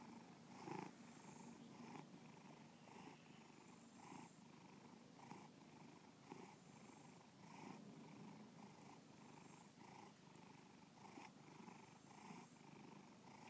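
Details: Bubba, a pet cat, purring continuously indoors; a low buzzing rumble pulses with each breath, brighter swells arriving roughly every second, near 53 per minute, in a small quiet room.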